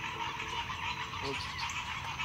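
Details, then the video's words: A dense chorus of many bullfrogs calling at once in a tiny backyard pond, a steady overlapping din that sounds like a flock of geese. "those are all frogs it sounds like a flock of geese"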